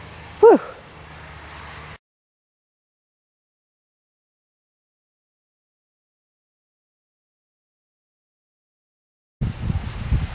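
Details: Ten-week-old Miniature Schnauzer puppies from the Cookie litter at play: one loud, sharp yelp sliding steeply downward in pitch, then quiet background and a long stretch of silence before faint rustling returns.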